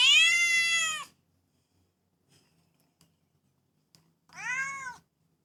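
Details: Household cats calling: one loud, steady meow of about a second, a pause, then a shorter, arched meow that rises and falls.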